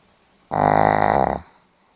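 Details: One short, fluttering snore from a Pomeranian recorded 8 November 2015, a rough rattling rasp lasting under a second in a quiet indoor setting.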